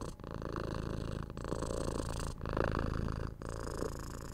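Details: Close-up purring of a domestic cat: dense low buzzing rumble in roughly one-second breaths, pausing briefly between them, steady and unbroken otherwise.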